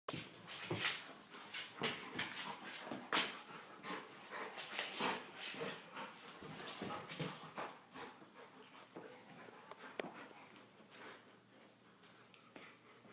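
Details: Two Golden Retrievers, Shai and Finn, playing together: a steady run of rough, breathy bursts and snuffles, with louder scuffling peaks early on that ease off toward the end.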